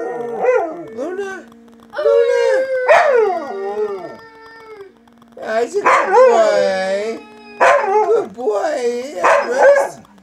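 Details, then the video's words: Pack of pet Huskies howling, barking and talking: quick rising-falling yips and short howls, a long held howl with a yelp, then a busy chorus of wavering howls, woo-woo talking and sharp barks. "Husky Barking: Level 3 Howls"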